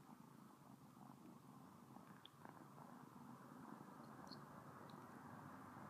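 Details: Close, constant purring from the house cat Sona as she licks someone's finger; a dense low vibrating hum with faint light ticks above it.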